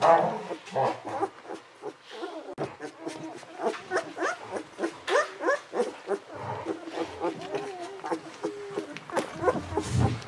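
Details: Golden Retriever puppies aged 11 to 13 days, from the litter of Aiko of Haarby and Lady Dina, giving squeaky, whining calls about three per second, each wavering up and down with a bright, tonal quality.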